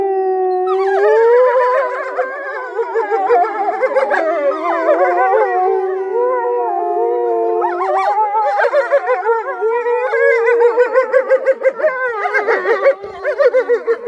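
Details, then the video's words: Frøya, a wolf in a Norwegian animal park, howls a magnificent, deep howl in long, wavering tones that slide up and down, with a yipping, broken-up finish. "The wolf howling 😍 Have sound on!"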